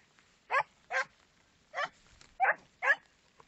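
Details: Segugio Italiano dog barking: five short, mid-pitched barks in about three and a half seconds, spaced irregularly with quiet gaps between bursts, with no other sounds standing out.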